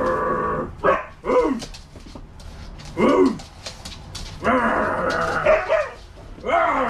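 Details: Two pet Siberian huskies playing with a stuffed husky toy indoors, uttering scattered arched, whining woo sounds with strong harmonics, some short and rising-falling, others drawn out and wavering, separated by brief quiet gaps.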